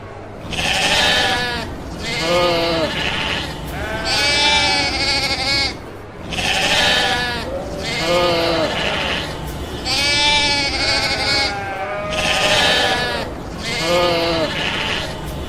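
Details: Domestic sheep bleating in a steady series, harsh wavering bleats about every two seconds with brief gaps, several overlapping voices, rich in harmonics.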